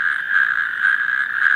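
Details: A male natterjack toad (Epidalea calamita) in the UK gives its advertisement call, a loud, continuous, steady rattling churr; only males call.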